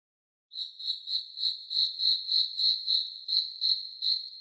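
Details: Cricket chirping: a steady run of short rhythmic trills, about three per second, high and clear against a silent background.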